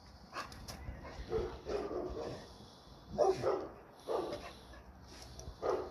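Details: American Pit Bull Terrier barking in short, mid-pitched bursts, about seven barks spread unevenly over six seconds, some doubled in quick pairs, against a low background hum.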